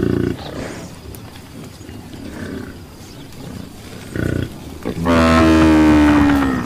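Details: Buffalo calls: after a short low grunt and a stretch of quiet rustling, one long, loud, steady moaning bellow rises slightly in pitch at the end.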